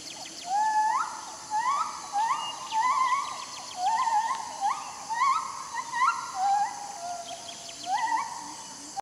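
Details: Siamang (Symphalangus syndactylus) in Leuser, sharing a tree with gibbons, gives a series of rising, hooting whoops, each swelling upward about once a second.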